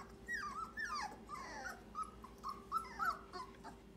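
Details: English Cream Golden Retriever puppies in a small room: dense, overlapping high whines and yelps, each a quick bent squeal that rises then drops, coming about three or four per second over a faint steady hum.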